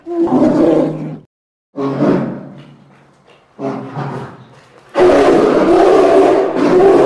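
A polar bear gives four deep, rough roars, the last one longest and loudest.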